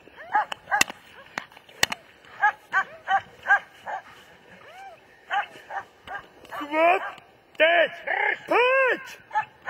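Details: German Shepherd giving sharp, spaced barks, followed by loud human calls and shouting that mix with the later barks.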